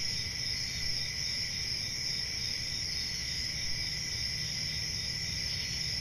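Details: Summer-night crickets in the countryside: a continuous high-pitched trill holding two steady bands throughout, even in loudness, with a faint low rumble underneath.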